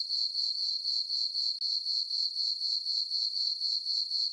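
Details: High, ringing pulsed chirps from crickets in a farm meadow on a calm summer night under a full moon, about four beats a second, steady apart from one momentary gap.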